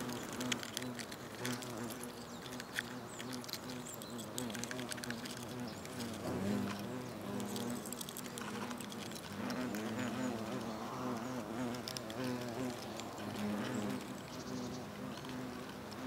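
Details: European hornets (Vespa crabro) at their nest in South Moravia, Czechia, August 2024, exchanging food by trophallaxis; a steady low buzz of many wingbeats with layered droning tones, plus frequent clicks and scratching of insects moving on the comb.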